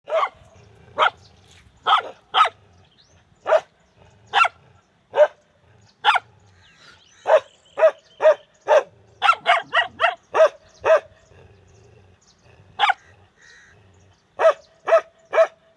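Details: Dogs barking: loud, sharp barks, some single and some in quick bursts of two to four, separated by short quiet gaps over about sixteen seconds. No other clear sounds.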